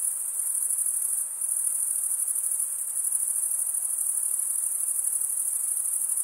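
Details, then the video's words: Cricket chirping, the stridulation of males working their wings together: a continuous piercing high trill, briefly dipping in loudness after about one second before resuming at full, steady strength. "Most relaxing cricket sound"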